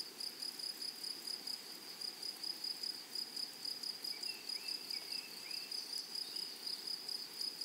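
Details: High-pitched rasping pulses from meadow grasshoppers repeat several times a second without pause, while faint thin whistled notes drift in around the middle over quiet hiss.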